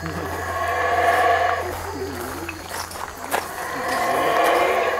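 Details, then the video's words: Two bursts of deep, raspy roaring from howler monkeys high in Belize's trees, separated by a quieter gap with scattered clicks and rustles. "The Call of The Howler Monkey: Belize Treetops"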